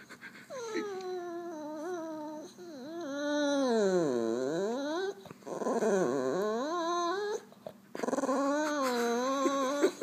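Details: Funny noises from a French Bulldog: loud, continuous grumbling whines that swoop down deeply and rise again, mixed with throaty growl-like moans, in several long phrases with brief breaks.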